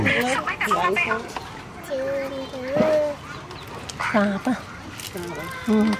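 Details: Baby monkey KOTO, rescued after falling into a jungle hole, cries loudly in fear when left clinging to a tree branch: bursts of tonal, wavering wails that rise and fall, with a longer drawn whistle midway and short broken cries after.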